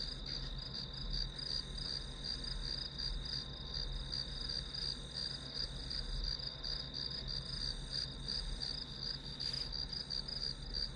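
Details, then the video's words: A high, rapidly pulsing insect trill from grass insects runs without pause over a steady low-frequency hum, with a faint brief rustle near the end. "풀벌레 소리"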